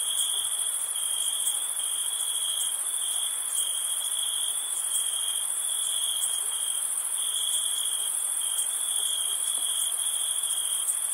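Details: Crickets chirping through a summer night, a continuous piercing trill that wavers slightly in strength, with a steady hiss-like chorus of higher insect sound layered above.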